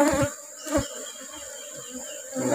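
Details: Honey bees at a colony during a honey harvest in the rubber-flowering season, a low steady hum with a fainter overtone, broken by dull thumps and knocks from handling.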